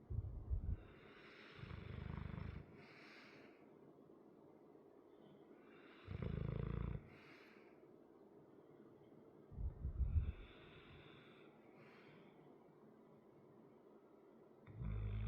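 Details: A sleeping 100-pound male dog with a chronic crusty nose snores in deep, rumbling bursts: about five heavy low snores spaced a few seconds apart, with quieter breathing between them and a faint rasp on some breaths.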